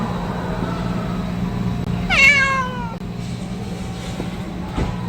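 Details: Stray tuxedo cat, acting affectionately and waiting while its partner eats, gives one clear downward-sliding meow over constant low rumbling traffic-like hum and background music.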